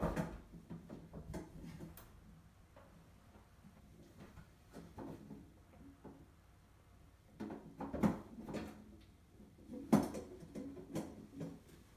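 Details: Faint indoor knocks and soft thumps, with louder bumps at about eight and ten seconds, like a door or drawer handled in a quiet room.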